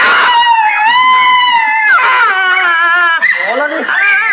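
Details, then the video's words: Dog getting an injection, letting out a loud, drawn-out wailing cry with rich harmonics, sliding up and down in pitch and breaking into short wavering yelps after two seconds, with a person's voice soothing it nearby. "Funny Dog Injection videos"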